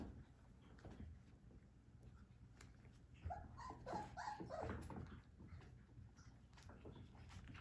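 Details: Three-week-old Whippet puppy giving a cluster of short, rising whines and squeaks over about two seconds. Soft scuffling and movement come before and after, with low background hum throughout.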